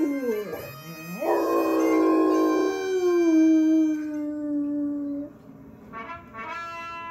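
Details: A 23-month-old female Great Dane howls along to bagpipes, a long mournful tone that dips, rises sharply, holds and slowly falls over steady bagpipe drones, with a shorter howl starting near the end.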